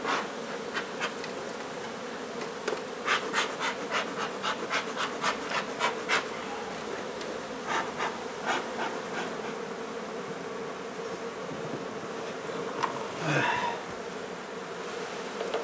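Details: Nuisance honey bee hive relocated from an old home being renovated in Donna, Texas; a constant low buzz of the colony under a run of sharp, rapid scraping clicks, with a louder fly-by buzz near the end.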